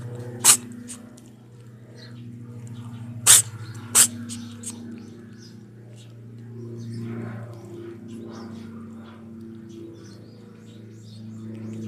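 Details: Small black kitten that cannot stop sneezing, indoors: three sharp, explosive sneezes, two close together a little after the first, over a low steady hum.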